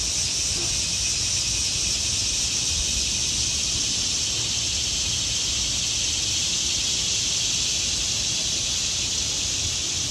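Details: Autumn cicadas singing in trees: a continuous dense shrill buzz, unchanging in pitch and loudness, over a soft low background rumble.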